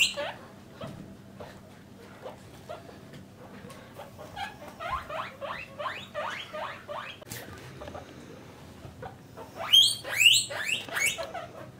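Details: Domestic guinea pigs, mother and offspring in separate male and female cages, give quiet chirps, then a quick run of rising squeals and a loud burst of high wheeks near the end.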